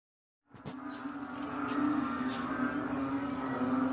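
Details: After rain at 6 am on 22 May 2022 in Kadaruhan, a loud, dense frog chorus blends into a steady, low droning hum with a faint pulsing texture.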